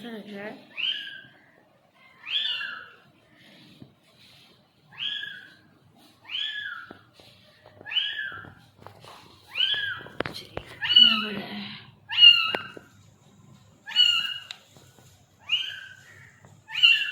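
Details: Newly born kitten giving a long run of high, piercing rise-and-fall cries, about a dozen spaced one to two seconds apart, with a woman's voice speaking briefly at the start and midway.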